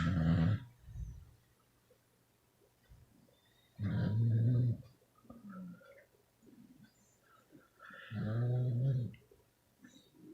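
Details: Beagles, twelve in total, asleep and snoring: low rumbling snore bursts about a second long, repeating roughly every four seconds, with quiet breathing and small snuffles between them.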